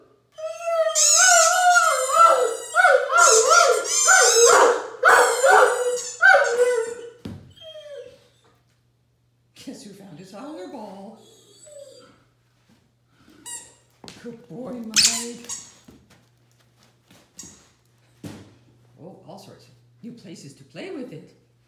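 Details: A Great Dane howls with delight on squeaking his favourite toy ball: a long, wavering, rising-and-falling howl, then softer whines and squeaky yelps.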